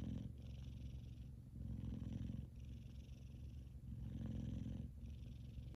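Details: F2 Savannah cat named Kumba, a male, purring loudly while sleeping and twitching; a steady low rumbling purr in long pulses, each lasting about a second, broken by brief pauses as he breathes in, with a faint hiss above.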